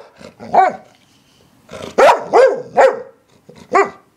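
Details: English Springer Spaniel giving quick bursts of sharp, ringing barks, several close together in a brief volley followed by a single bark after a short pause.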